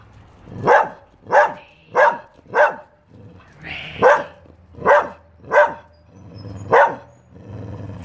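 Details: Barking dog giving a run of nine short, loud barks, mostly about half a second to a second apart, with a brief breathy gap near the middle and a low background hum.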